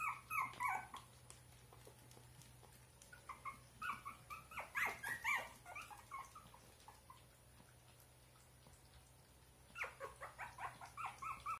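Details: Russian Toy puppies born on 26 June, several together, give short high whining yips and squeaks in quick bursts: a cluster at the start, a longer run in the middle and another near the end, with quiet gaps and a low steady hum between.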